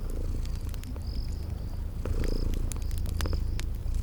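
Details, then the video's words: Brief stretch of sleeping kitties purring, a dense low rumble rising slightly in loudness midway, with fire crackles and a couple of drawn-out high cricket chirps behind it. "Relax with Cute Sleeping Purring Kitties"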